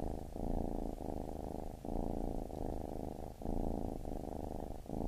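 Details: Baby kitten purring indoors, a steady low rumbling purr that swells and pauses in regular breaths about every one and a half seconds, with no other sounds.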